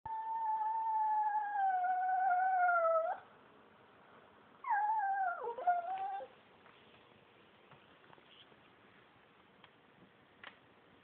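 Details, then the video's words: Whippet craving attention, indoors: a long, clear, steady whining howl lasting about three seconds that slowly falls in pitch, then a pause and a shorter wavering howl that dips and breaks off, followed by faint clicks and quiet. "Whippet craves attention"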